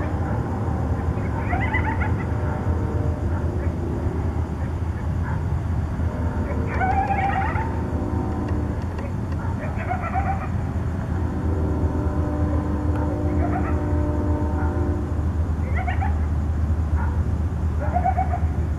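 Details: Nighttime contact calling by coyotes in Tucson, with repeated clusters of shrill, wavering yips and warbling howls rising and falling across the clip, set against a constant low hum.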